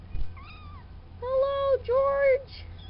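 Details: Farm kittens a few weeks old, part of a litter of four from the cat Spanky named Hank, Lydia, George and Wilson, give three clear meows: one brief falling mew, then two longer, steady, level-pitched meows separated by a short pause.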